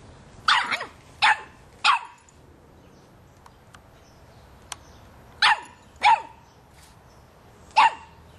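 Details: A young Boston Terrier puppy, three and a half months old, barking at a soccer ball in two bursts: three quick sharp barks, a few seconds of quiet with faint clicks, then three more spaced barks.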